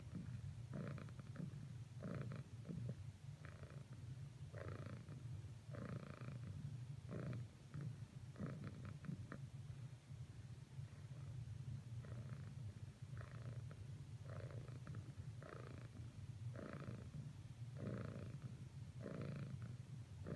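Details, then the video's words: Cat Cricket keeps purring as she tries cuddling with Whisper; low continuous rumble overlaid by regular inhale-exhale pulses about once per second, steady throughout. "Cricket's last few attempts at cuddling with Whisper failed. Nevertheless, she purrsisted."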